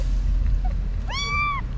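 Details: Kitten about six to eight weeks old, one of five whose mother has been missing, found at a parking garage entrance: a single clear meow, rising briefly then held level and falling at the end, over low background rumble.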